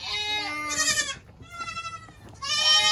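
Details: Two loud bleats from a goat kid of the 2022 kidding season, the first a long, even nasal cry trailing off, a softer murmur between, then a second strong bleat starting.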